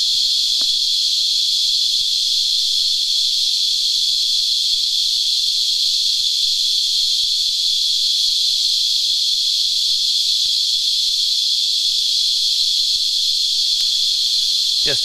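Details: Cicadas, locally called Christmas beetles, sap-sucking insects whose rasping yields a high-pitched whine: one steady, unbroken shrill drone for the full fifteen seconds, with faint clicks and a brief squeak near the end.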